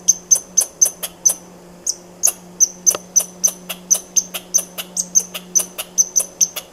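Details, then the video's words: Squirrel repeating sharp, ticking chirps with a thin high whistle in each, around three per second with a brief pause, over a continuous low electrical-sounding hum. "Squirrel sound"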